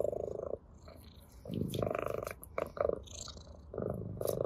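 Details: Ginger cat purring while playing with a blade of grass; short pulsing purr bursts interrupted by brief rustles and clicks, the rumble fading and returning several times.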